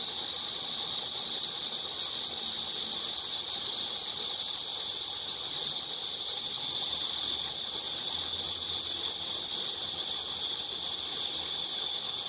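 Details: A cicada's continuous shrill hissing buzz stays level and unchanging from start to finish, without breaks, and a faint low rumble sits far beneath it.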